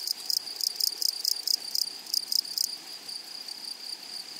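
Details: Dry, high, scratchy buzzes from grasshoppers in a flowery meadow repeat rapidly for over two seconds, then stop. A thin, steady, high-pitched insect drone carries on alone afterward.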